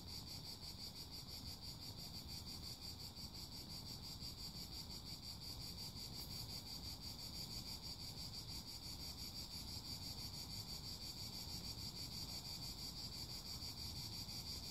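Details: Cicada song as an unbroken, piercing high buzz, rapidly throbbing at a steady rate for the whole stretch, laid over soft low-pitched wind-like noise.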